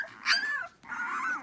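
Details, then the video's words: Hungry puppies awaiting their mother: two short high whines, the first bending downward after a sharp onset, the second flatter and wavering, over faint background noise. "Some puppies are making noise"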